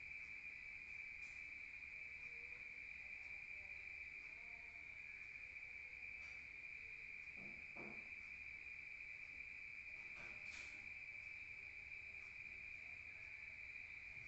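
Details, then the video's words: Crickets calling at night in the countryside, heard from inside a room: a continuous shrill ringing drone holds level throughout, broken only by a few soft knocks and rustles near the middle and toward the end. "Rural Nature Sound of crickets at night"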